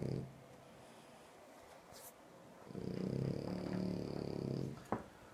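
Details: French Bulldog snoring in sleep: a low rumbling snore with a faint high whistle above it, about two seconds long, after a quiet stretch, followed by a brief click.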